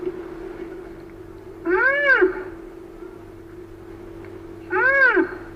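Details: Rhinoceros noise described as rarely heard: two drawn-out whining squeals about three seconds apart, each arching up and down in pitch with rich harmonics, against a constant low droning hum.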